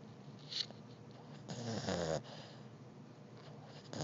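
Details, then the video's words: Snoring Beagle puppy asleep; a soft snort early on, then a loud, rattling, wheezy snore lasting under a second, followed by quiet breathing in a small room. "Snoring Beagle puppy!!!"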